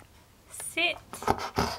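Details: Pet Siberian Husky indoors, talking back and refusing to sit when told; one short, wavering, tonal moan-like vocalization, followed by a person's voice repeating the command to sit, with light panting in the background.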